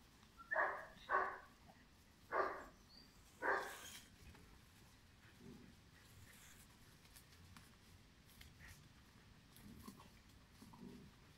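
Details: Five-month-old German Shepherd puppy bred for sport or police work: four short, sharp barks within the first four seconds, then a quiet room with faint soft noises.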